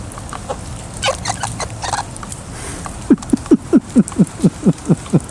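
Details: Nibbler, a wild pet squirrel living in trees outside a home, squeaks while feeding in a rain shower and being poked and petted: after scattered rain patter, a run of about ten short descending squeaks at a steady quick pace.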